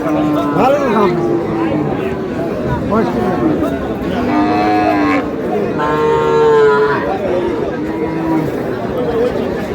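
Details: Cows at Aftabganj cattle market, heard among crowd chatter and bargaining: several drawn-out harmonic moos, some rising then falling, recurring across the recording.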